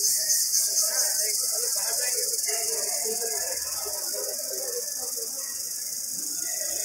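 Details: Indian cicada calling in a jungle: a few quick pulsing beats at the start, then a sustained shrill, even buzz, over a faint bed of lower chatter.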